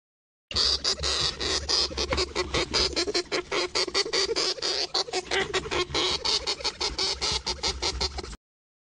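A hamster makes a fast run of sharp, high squeaks and chattering clicks.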